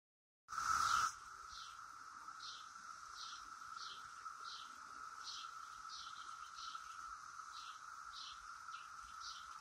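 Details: Brood X periodical cicadas flitting around the top of a willow oak; a steady droning tone holds throughout, with faint pulsed buzzes repeating about every half second above it, after a brief loud rustle at the start.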